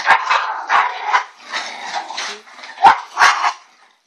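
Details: Elsa, a pet bulldog, making odd ewok-like noises: a run of nasal, broadband grumbling yelps in short bursts, about two or three per second, with brief pauses and no other sounds.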